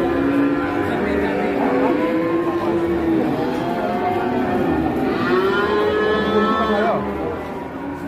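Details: Cattle at an Indonesian livestock sale in the morning. Long overlapping moos sweep upward and then fall, with one strong rising call near the end and a constant noisy background.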